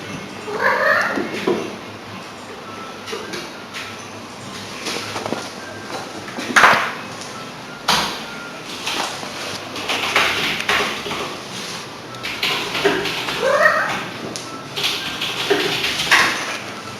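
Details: One-year-old pet cat making excited sounds: short rising and falling chirps and trills at irregular intervals, with sharp knocks and rustling between calls.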